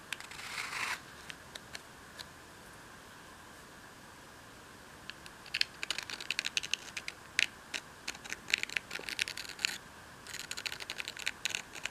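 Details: Indoor scratching, tapping and crinkling noises in irregular bursts, with no animal sound heard.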